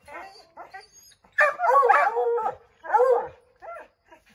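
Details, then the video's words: Five Redbone Coonhounds barking and howling at a chipmunk up an oak tree: a few soft yips, then a loud burst of overlapping bawling bays and a second strong howl, trailing off into scattered short barks. "Redbone Coonhounds Tree a Chipmunk"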